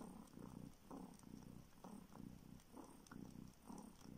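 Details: Baby kitten nursing on a finger in search of milk, having never drunk its mother's milk; deep purr pulsing in regular bursts about once per second with the sucking rhythm, indoors in a Siberian village.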